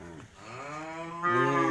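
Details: A newly arrived bull unloaded at home for sale gives a sustained, rising, harmonic-rich moo that swells louder near the end, with little other sound.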